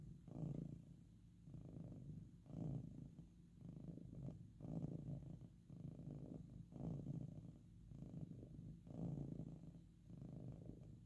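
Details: Pet cat purring loudly while sleeping or being petted indoors: a low, rumbling, continuous purr that swells and fades in a steady cycle about every two seconds, following its breathing.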